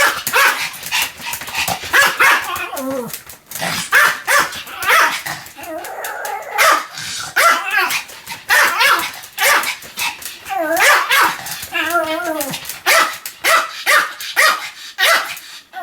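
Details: Sam, a Pomeranian dog, barks continuously in short, high, yappy bursts, several quick barks at a time separated by brief pauses, over about sixteen seconds.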